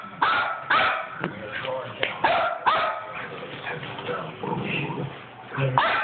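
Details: Play between a five-week-old Chihuahua and a two-year-old Bichonpoo, captured on an Android phone: bursts of short, high-pitched yipping barks repeated through the clip, mixed with human speech.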